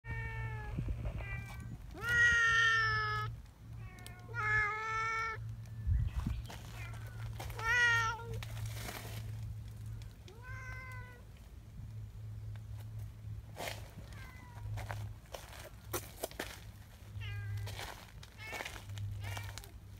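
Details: Don-chan, a large affectionate black community cat in Japan, repeatedly pulling a person's hand close and nibbling it; series of loud harmonic meows, some rising then falling, roughly every one to two seconds, with clicks and handling noise between and a low steady hum beneath.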